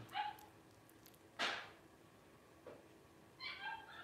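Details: Five 12-day-old blenheim Cavalier King Charles Spaniel puppies from a litter born at New Year 2023 to Paris: high, harmonic squealing whines at the start and end, with a sharp broadband knock between them.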